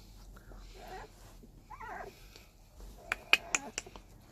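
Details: Seventeen-day-old puppies, eyes just barely open, give two short wavering, squeaky whimpers about a second apart, followed by a quick run of sharp clicks and taps nearby.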